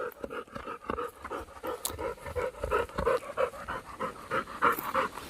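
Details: A Labrador dog pants fast and steadily, about three breathy huffs each second in an even rhythm, with a low background hum throughout.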